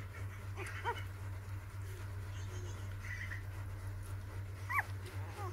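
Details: Six newborn puppies on their fourth day: a few brief, high, arched whimpers that rise and fall, one near the start and another near the end, over a constant low humming drone.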